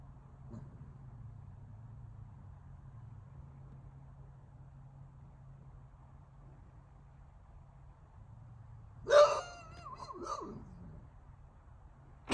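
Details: Kine, a Dogue de Bordeaux, gives a short, loud, harmonic howl with a wavering, falling pitch near the end, after a long stretch of near silence with a low hum.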